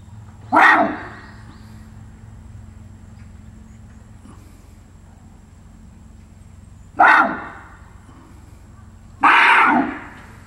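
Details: Seoul Grand Park Zoo barasingha, South Korea, filmed 6 December 2021, utters three brief, rough braying calls, the last two about two seconds apart, over a steady low background hum.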